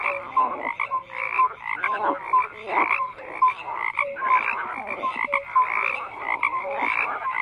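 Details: Croaking frogs fill the recording with overlapping rasping calls, while short bright chirping notes repeat about every second above the rough, throbbing chorus.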